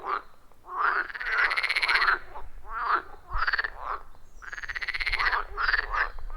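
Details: Frogs at a forest pond in the wild, loud and rhythmic: drawn-out pulsed trills lasting about a second, arching up and down in pitch, interspersed with shorter croaks from other callers.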